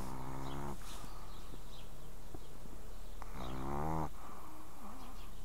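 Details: Snoring Pekingese dog, two harmonic-rich rasping breaths about two and a half seconds apart, each under a second long, over a low steady hum.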